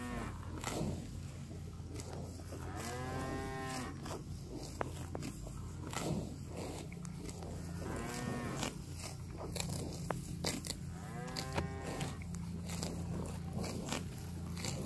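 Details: Cows eating fresh grass while roaming a park let out three deep, wavering moos about four seconds apart, over steady crunching, grass-tearing clicks and a low background rumble.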